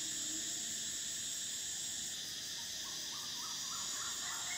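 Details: Cicadas in summer: a steady, dense high-pitched buzzing drone with layered shrill bands, briefly shifting near the middle, while faint rising bird notes repeat in the background.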